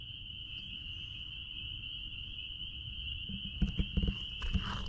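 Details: Spring peepers calling out back at a blueberry farm: a dense, steady high-pitched chorus of overlapping peeps merges into one continuous ringing tone, with low rumbling background and handling knocks near the end.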